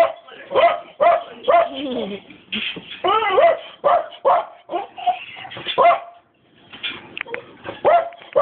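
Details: Dobermann giving a run of high, wavering whines and short yelping barks in irregular bursts, with a brief quiet pause midway before the yelps resume.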